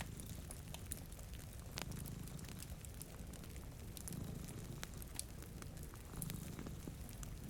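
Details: Two cats sleeping in front of a rainy window purr in a low, steady rumble that swells roughly every two seconds. Rain patters and a fireplace crackles with sharp snaps throughout.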